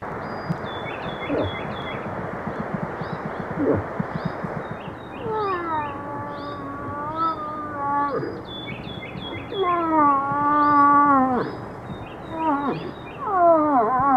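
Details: During the rut, a bull moose gives long, nasal, moaning calls that drop in pitch and then hold steady, with small birds twittering above.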